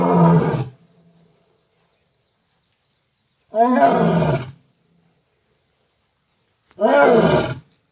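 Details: Lion seen by the roadside near Kukdeshwar Mahadev temple in Udaipur, Rajasthan, giving three loud, harsh, throaty roars, each under a second long, spaced about three seconds apart with silence between.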